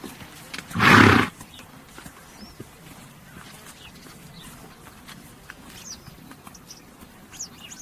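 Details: One short, harsh, breathy burst from a horse near the start, followed by several seconds of quiet outdoor ambience with scattered high bird chirps toward the end.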